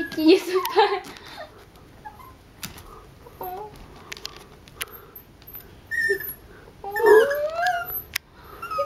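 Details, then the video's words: Pet dog named Mickey crying, shaking and struggling. High tonal whines, some rising and bending, come in short bursts near the start and again near the end, with people talking and laughing over them. "making our dog cry"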